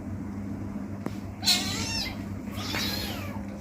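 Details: Playing kitten giving two bright meows, the first rising then falling, the second longer and sliding downward, over a constant low background hum.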